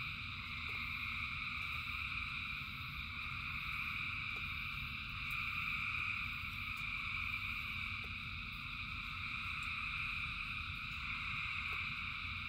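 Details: A mass frog chorus in the rain, thousands of callers blending into constant layered buzzing tones that rise and fall gently in loudness, backed by rain hiss and isolated drip clicks.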